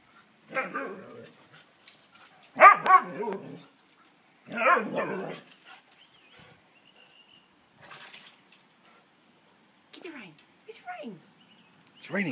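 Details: Siberian Husky named Sasha, an escapist, having a wild moment in the rain; loud harmonic howl-barks with wavering pitch come in three long bursts, then shorter whines and descending yelps follow between quiet gaps.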